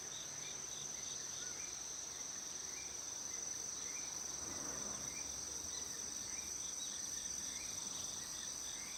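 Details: Crickets singing around 6:47 in the morning in Shikokuchuo, Japan, likely on 25 August: a continuous thin, high-pitched trill holds steady throughout, with faint, softer chirps repeating beneath it against a quiet outdoor background.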